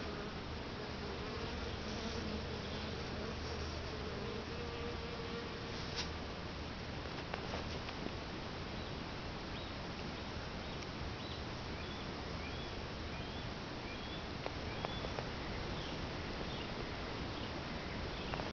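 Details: Many bees droning at a bait hive that was stocked with sugar water and lemongrass oil two days prior; constant dense buzzing, an early wavering hum, and a few faint chirps and clicks later on.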